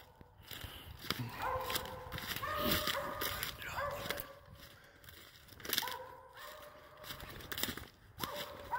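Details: Hunting dog baying at a squirrel it has treed during a squirrel hunt, drawn-out tonal bawls rising and falling in pitch, several spaced across the stretch, with rustling, footsteps and outdoor background noise.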